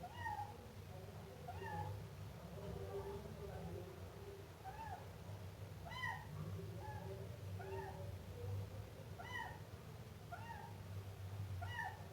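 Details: Meowing Siamese kitten gives a rapid run of short, high-pitched, arched mews, roughly one per second, against a soft low-frequency hum.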